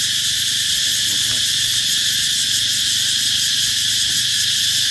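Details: Cicadas singing out as summer approaches, a steady high, hissing buzz throughout, with a faint brief warbling sound and a low background rumble.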